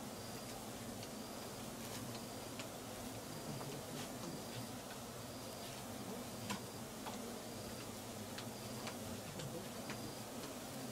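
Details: Wild swarming Giant Asiatic Honey Bees (Apis dorsata) starting a new nest near an old nest abandoned 14 months earlier, Perak, Malaysia, 5.53pm; dense continuous low buzzing hum throughout, with faint regular high ticking sounds repeating about every second.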